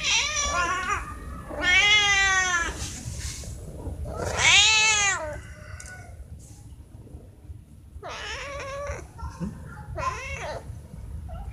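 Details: Hungry cats calling at morning feeding time, a sound made when they want food or attention: four strong, arched meows spaced a few seconds apart, each rising then falling, with quiet rustling between.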